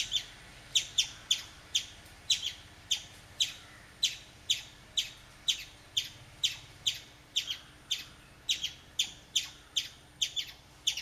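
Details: A chipmunk gives a steady series of sharp, high chips, about two each second, while urinating.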